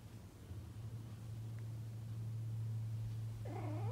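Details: Pregnant female cat, a week after mating, rolling on the floor and seeking affection indoors: a low, continuous rhythmic purr, ending with a short wavering meow.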